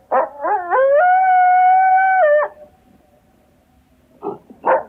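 A coyote gives quick yips that climb into a long, steady, wavering howl, then yips again.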